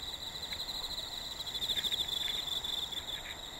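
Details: A high, rapid pulsing trill of autumn insects, evenly throbbing throughout, recorded as insect voices grow active in an unusually hot late summer; a faint lower tone and soft background hiss underneath.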